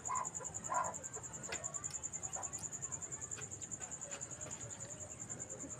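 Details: Cricket calling at night: a high, thin, rapidly pulsed chirping kept up without pause, about ten beats a second, with a couple of faint lower blips near the start and a quiet hiss behind.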